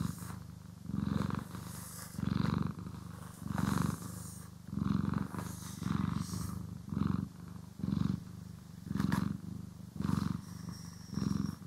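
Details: A house cat purring contentedly as it is brushed and groomed; steady low rumble pulsing in regular waves about once a second, with occasional crisp brushing and rustling noises layered over it.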